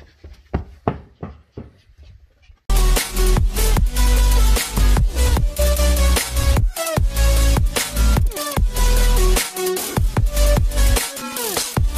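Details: Loud electronic dance music with a heavy bass line and drum beats starts after a quieter rhythmic intro; no animal sounds.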